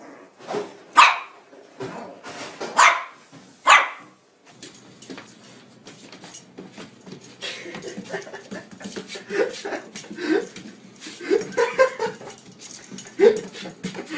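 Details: Pet dog that apparently loves lemons, giving three loud sharp barks within the first four seconds, then quieter yips mixed with people talking and handling noises.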